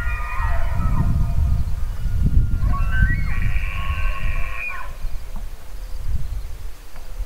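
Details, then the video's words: An elk bugles loudly: a layered, reedy whistle held for about two seconds before dropping away, preceded by fainter harmonic tones, with strong gusty wind throughout. "Elk Bugling"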